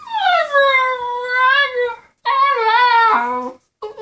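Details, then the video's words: A 10-week-old Husky puppy named Maya complains at home after her companion Dex leaves for the dog park. She gives two long, wavering, sorrowful whine-howls separated by a short pause, then a brief third cry begins, in a small room. "Husky puppy is sad, her friend wend to the dog park."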